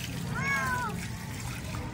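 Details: Domestic cat being bathed at home, rinsed with cold water it has been used to since young; one clear arched meow rising then falling, lasting about half a second, with low background noise and a person talking.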